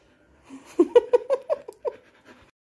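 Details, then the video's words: Labrador Retriever named Mishtu searching for Avi: a quick run of about six short, mid-pitched, whine-like yelps with ringing overtones, packed into roughly one second, then fading to a soft final whimper in a quiet setting. "avi ko dhund rahi hai mishtu"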